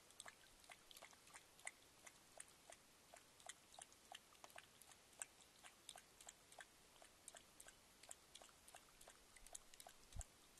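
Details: Adolescent mountain lion drinking from a stock trough at MPG Ranch, Bitterroot Valley, Montana, on 31 October 2010. Soft, sharp lapping clicks follow one another at a steady pace of about three per second, over a quiet background.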